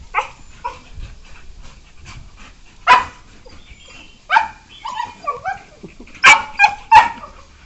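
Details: Playful beagles, one year four months old, give scattered yelps and whimpering yips during play; short high cries spaced a second or so apart, a few louder sharp yelps near the end.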